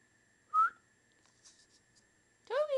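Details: A Schipperke puppy learning to speak gives a short, high yip on the owner's repeated "speak" command after a brief whistled note.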